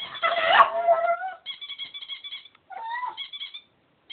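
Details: Pug dog singing: a wavering, whiny howl that slides upward then down in the first second and a half, followed by thinner sustained tones and a short rising yelp-like phrase, nearly silent between phrases.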